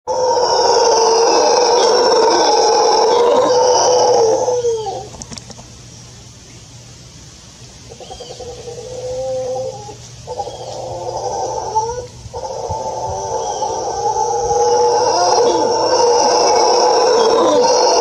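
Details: An adult male mantled howler monkey (Alouatta palliata palliata) with anomalous pigmentation, copulating with one or more females in a troop in secondary forest fragment near Tamarindo, Guanacaste, Costa Rica, 14 Nov 2021, roars in long, deep, raspy bursts broken by short pauses.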